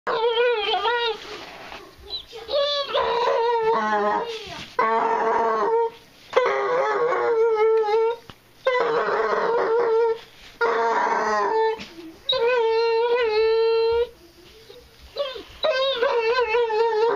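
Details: Female basset hound vocalizing as she chews on her tail, which she does every time; wavering, moaning howls come in repeated bursts of one to two seconds, separated by short pauses.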